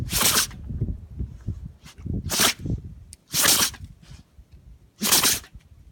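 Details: Shikoku dog named Shishi sneezing outdoors on a windy day, unable to stop: four sharp, breathy bursts at irregular gaps, with soft rustling and low handling noise between them.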